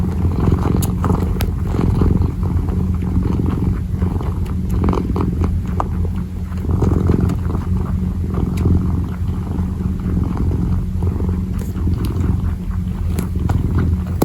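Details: Kitten kneading and purring: an unbroken low vibrating hum, loud and near. Scattered light clicks and brushing sounds come from the paws working the surface.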